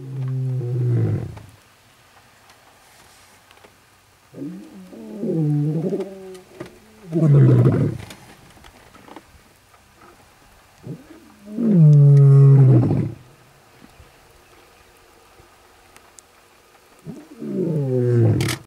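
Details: Lions roaring while marking territory in Kruger National Park, South Africa, August 2012: deep, harmonically rich roars, five loud bursts each about one to two seconds long, spaced by quiet gaps.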